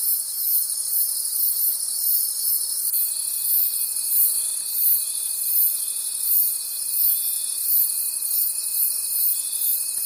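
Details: Crickets at night in a forest, a dense high chorus pulsing about three times a second, with a thin steady whine joining partway through and continuing to the end.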